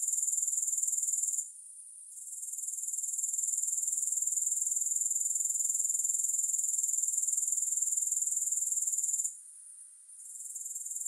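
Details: Grasshopper sound for sleep and focus, music-free: a constant high shrill trill with a rapid regular pulse, interrupted by two brief lulls, early on and again near the end.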